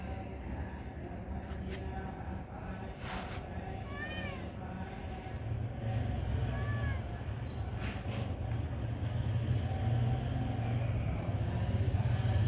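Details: A cat called Mr Noll gives two short arched meows about two seconds apart, set against steady low rumbling background noise and a few clicks.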